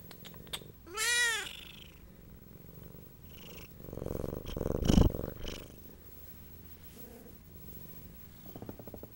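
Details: Dory, a Siamese cat who fell while escaping a giant box, gives a loud, arching meow, then a low, rough purr that swells and fades, broken by soft thumps and a brief mew near the end.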